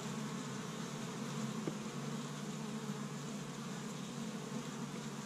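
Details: Honey bees swarming around their established hive in Michigan on the first warm day of spring, bringing in tree-bud pollen; a steady deep hum of countless wings, with one brief click partway through.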